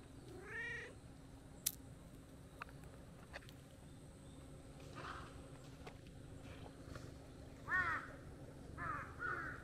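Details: A brown-tabby-and-white cat, waking from a nap in tree shade and coming over to play, gives one clear rising-then-falling meow near the start; crows caw several times afterwards over a steady outdoor hum.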